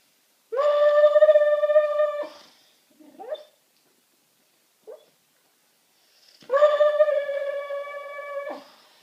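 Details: Sleeping pet dog on a sofa indoors, vocalising in its sleep: two long, steady, tonal howl-like moans of about two seconds each, with faint brief whimpers between them in a quiet room.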